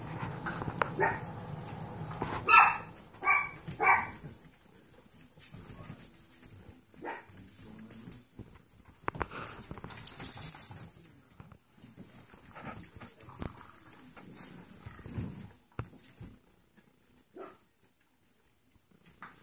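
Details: Six-week-old foster Golden Retriever puppies, playing, give short, high yips and little barks in scattered bursts.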